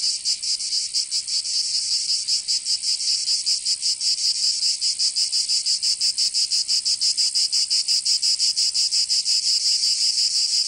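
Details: In summer in southern France's Provence, cicadas make a continuous high metallic buzz that pulses about three times a second. The pulsing grows steadier and louder as it goes on, with no other noises.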